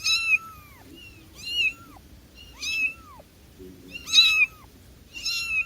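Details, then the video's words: Cat meowing: five clear, high, arching meows repeated about every second, each sliding up and then down, with only faint background hiss between them. "Cat Sounds for calling cats, cats meowing"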